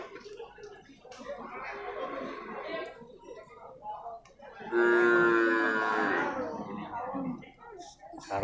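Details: Male water buffalo calves at the Purwakarta livestock market, Indonesia: constant chatter of traders, then a loud, steady, harmonic bawl lasting about a second and a half, fading into more voices.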